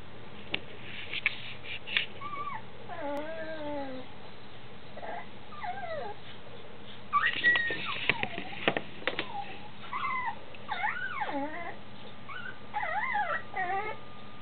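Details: Two-week-old female Standard Schnauzer puppy twitching in her sleep, thought to be dreaming, giving thin wavering squeaks and whimpers that rise and fall, in scattered short bouts with soft rustling and a faint steady hum.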